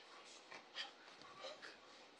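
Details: Stax the dog, busy chewing a shoe indoors, lets out short high-pitched whimpers, one sharper cry standing out, while a person talks to him in between.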